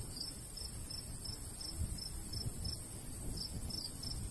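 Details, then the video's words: High-pitched cricket chirps repeat roughly every half second across a golden wheat field in summer countryside, with a soft low breeze rumbling underneath. "Countryside/cricket sounds"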